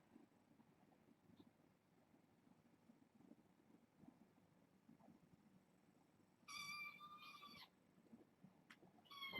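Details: Pet kittens settling down at bedtime in a quiet room, from a litter born August 29th; after long near-silence one drawn-out harmonic meow, then a brief rising cry cut off at the end.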